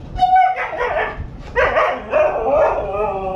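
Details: Husky vocalizing about going for a walk, a short whine followed by bursts of rough yowling and talking-like barks, mixed with a person speaking to the dog about getting the leash.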